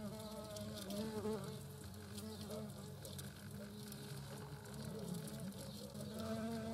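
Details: European hornet queen and workers at their nest in the Eifel, 2022, give a steady, deep droning buzz that swells and fades as they move about.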